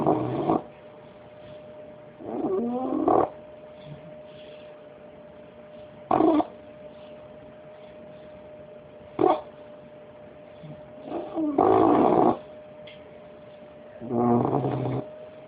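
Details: Sleeping five-month-old Bulldog puppy named Bullet snores in short, gravelly bursts spaced a few seconds apart, some drawn out and rattling, others quick snorts, with a constant faint electrical hum between them.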